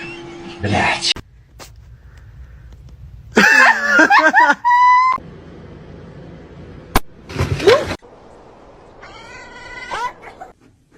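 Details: Domestic cat meowing indoors, with short harmonic meows that rise and then fall, separated by abrupt cuts, bursts of noise and brief speech.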